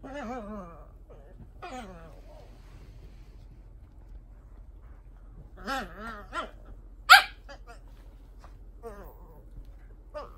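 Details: Cavalier King Charles Spaniel in a home in Japan performing a persistent nightly ritual before sleep: wavering, high nasal whines in short bursts, pauses between, a sharp yelp near the middle, quiet indoor room.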